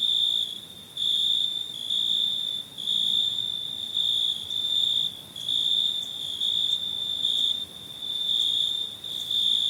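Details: Crickets chirping, recorded in summer for a free sound pack: a steady high-pitched trill with overtones, swelling in bursts roughly once a second, with no other sounds.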